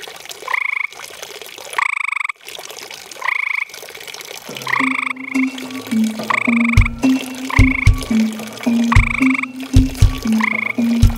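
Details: Two tree frogs calling through the night around a pond, heard close up: harsh, pulsed, raspy croaks given singly about every second and a half, then a rhythmic musical track with a beat joins midway and plays under the calls.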